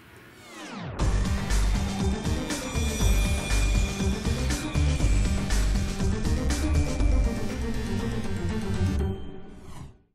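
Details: A dramatic musical passage swells in after a sweeping intro, then fades out at the end; no animal is heard.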